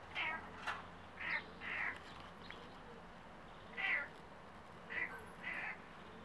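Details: Domestic cat talking to birds: six short, chirpy mid-pitched meows in uneven bursts over six seconds, each brief and slightly rising, with a low steady background hum.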